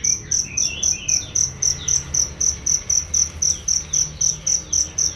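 A cricket gives high, ringing chirps, repeated steadily about four times a second.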